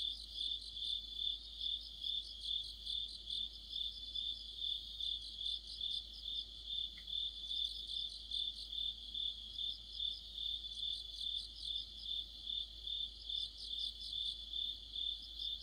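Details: Crickets joined by other insects in a deepening autumn night chorus near a streetlight: steady high chirps pulsing around twice a second, bursts of faster trilling above, and one brief faint click midway.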